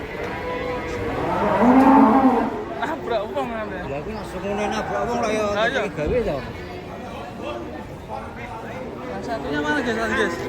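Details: Cattle being unloaded from a truck, one animal lowing loudly with a long harmonic moo near two seconds, followed by shouting and chatter from a crowd of people throughout.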